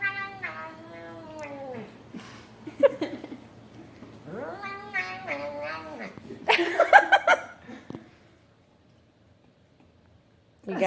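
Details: A Bengal cat makes drawn-out, wavering yowls and rising-then-falling moans while eating pasta, with brief clatters between.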